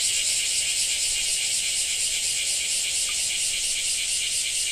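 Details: Loud cicada buzzing in Japan, a continuous harsh high drone with a ratchet-like throb, steady in volume across the whole clip.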